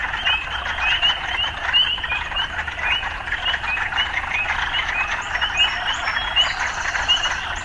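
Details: Frogs amid urban life: a continuous buzzing, croaking chorus with bright short chirps scattered through it, a faint high squeal near the end, and a low hum beneath.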